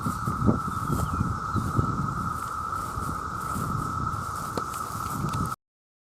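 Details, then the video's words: Loud chorus of countless male cicadas crying out for mates, an even, sustained buzzing drone that never changes pitch, over low rumbling background noise, ending abruptly in silence. "The Sound of The Cicada"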